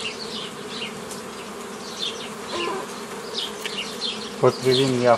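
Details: Honey bee hum, steady and low, as a beekeeper splits a forager swarm into nucleus colonies on 15 May 2018; scattered bird whistles sound overhead and a chicken clucks at the close.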